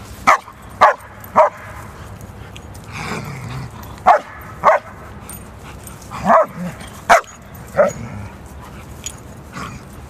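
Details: German Shepherds fighting, with loud staccato barks in uneven bursts of two or three, about nine in ten seconds, and a longer rough, growly sound in the middle.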